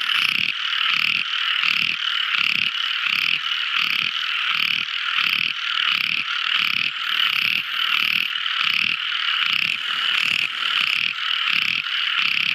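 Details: Tiny frog singing at night: short pulsed croaks repeated roughly every 0.7 seconds over a steady shrill high-pitched trill, with a continuous insect-like buzz high above.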